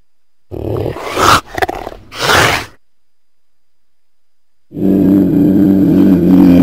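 A cougar gives harsh, raspy growling bursts, then a steadier low rumbling tone after a pause.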